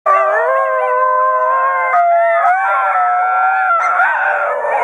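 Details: Several basenjis singing together in Wimauma, led by a young male rescue adoption; sustained, steady, overlapping tonal howls that hold pitch for seconds, with voices shifting and joining at about two and four seconds.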